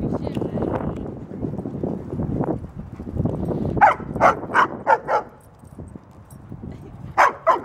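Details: Ellie, a 75-pound female German Shepherd, barking at a dog park while playing with a 110-pound male Doberman and a 135-pound male Great Dane, trying to get attention; a burst of five sharp barks follows talking, then one more bark, over scuffling.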